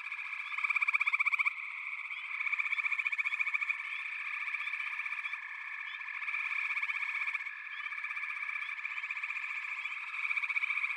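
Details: Many frogs trilling at once create a thick, steady buzz, with bursts of louder rapid pulsing near the start and end.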